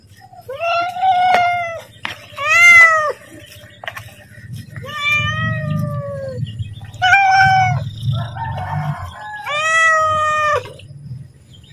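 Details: Pet cat calling to be fed as its owner gets ready to feed it: about six drawn-out, harmonic meows, some rising then falling, spaced one to two seconds apart, over a low background hum.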